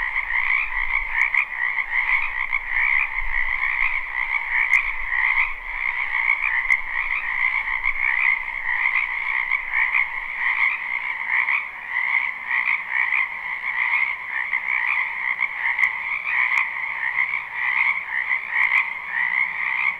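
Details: Numerous frogs croak nonstop in a spring wetland behind a home, their overlapping pulsed trills making a steady two-toned buzz, with faint low rumbles early on and occasional sharp ticks.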